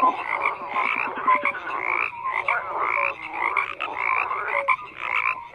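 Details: A chorus of frogs, loud overlapping croaks in pulsed bursts roughly every second, with clear short tonal notes between them and a constant mid-pitched hum of many callers.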